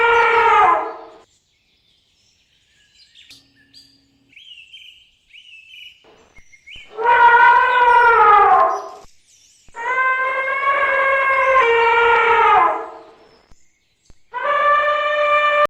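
An elephant trumpets in loud, brassy blasts, each lasting one to three seconds.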